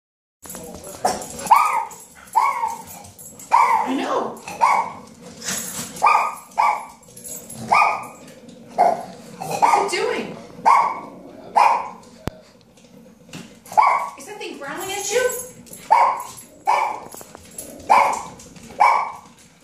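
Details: A female Chiweenie gives sharp, high-pitched barks in a steady series, roughly one every second, at a tea brewer whose grumbling, hissing brewing noise she seems to take as barking at her.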